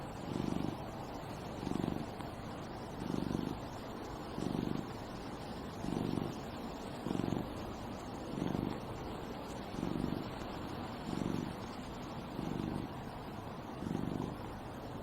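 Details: Outdoor cat in a natural setting, a slow rhythmic purr of low throbbing bursts repeating about every second and a quarter, with faint steady noise behind.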